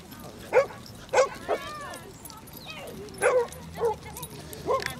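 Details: Basset Hounds on a group walk of 37 dogs covering four miles along Exmouth beach; sharp barks and yips come in short bursts, several per second at times, with a voice heard faintly beneath.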